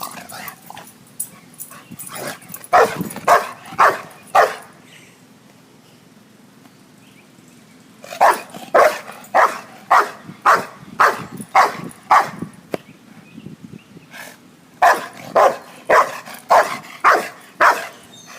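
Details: Pet dog barking in three bursts of rapid, sharp barks about two per second, with quiet pauses between bursts; low background hum throughout.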